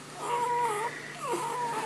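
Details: Female Golden Retriever in labour, still having contractions after giving birth, with newborn puppies nursing nearby, whining restlessly. Two drawn-out, nasal, tonal whines, each holding steady then sliding down, separated by a short pause; quiet indoor background.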